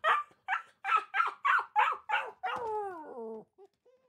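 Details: Dog barking to call its companions: seven quick rough barks at a steady pace, then one long wavering whine-howl sliding downward, ending in two faint short notes.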